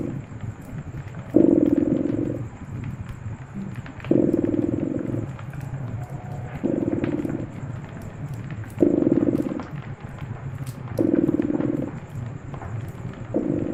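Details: A contented cat's rhythmic purr near a cozy fireplace, rumbling phases lasting about a second and recurring every two to three seconds, steady through the stretch, with scattered wood crackles and a faint high background hum.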